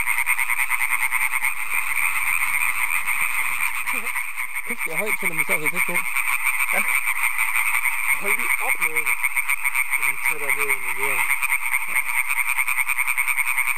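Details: European tree frogs (Hyla arborea), an introduced population about 10 km south of Aarhus, Denmark, on an evening on 15 May. A dense, deafening chorus of rapid rasping croaks merges into one din, with one frog croaking very loudly close by.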